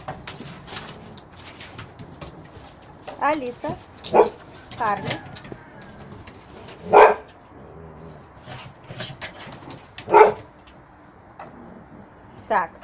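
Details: Two red foxes playing and fighting together. Short, harsh, strained vocal bursts come in irregular bouts, a few seconds apart, over a quiet background with scattered clicks and knocks.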